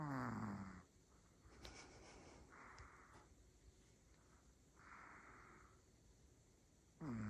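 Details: Asleep, the female Pomeranian Rumi lets out a deep, rasping snore that drops in pitch, then soft hissing breaths, and another snore begins at the end.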